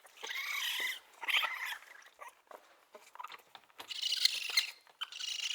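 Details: Baby raccoon calling with hoarse, wavering whines and squeaks, a long drawn cry at the start, scattered soft clicks and patters in the middle, then further raspy squeals.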